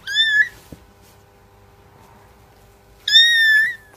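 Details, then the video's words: Cats meowing: two high, clear, slightly rising meows, one at the start and another about three seconds later, with quiet room background between them. "cats voice"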